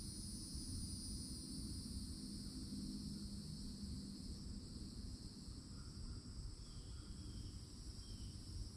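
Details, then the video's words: Cicadas singing in summertime at a Florida forest edge by an old oak: a steady, unbroken high buzzing drone in two pitch bands, over a constant low rumble, with a few brief bird chirps late on. "*CICADA SOUNDS*"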